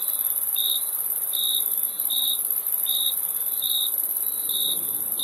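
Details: Chirping crickets give clipped, evenly pitched bursts a little more than once per second, layered over an unbroken high insect whine.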